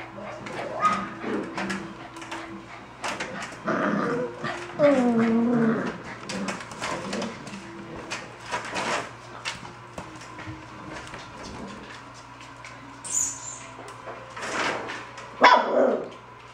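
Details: Golden Retriever puppies vying for the camera whimper and whine in short, wavering cries, with a person talking nearby.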